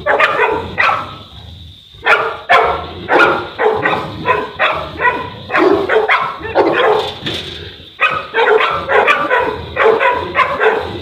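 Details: A Boerboel, the South African Mastiff, one of two dogs in Egypt, barks continuously and forcefully, with barks coming in quick runs and two short pauses.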